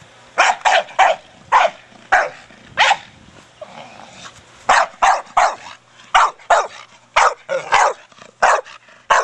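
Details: Staffordshire Bull Terrier Brogan, four years old, barking while playing with his big hard plastic ball. A long series of sharp, evenly loud barks, each a short burst, with a brief pause in the middle before rapid barking resumes.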